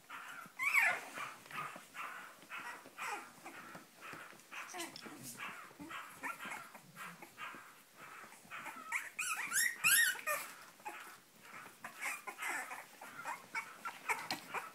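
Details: Cavalier King Charles Spaniel producing a dense, excited stream of yelps, barks and high squealing whines, with sharp shrill peaks and a brief slightly quieter stretch midway.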